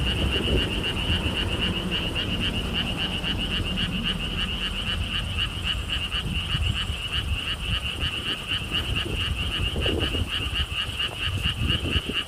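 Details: Frogs calling in a lotus theme park in Siheung, Korea, heard from a stone wall path. Continuous pulsed croaking ticks along rapidly while heavy low wind noise rolls through the background.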